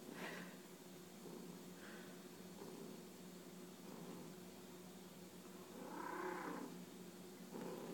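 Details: Domestic cat purring while bunting, rubbing its head against its owner: a soft, steady low rumble held through the whole recording, very quiet, with a few faint brief rustles on top.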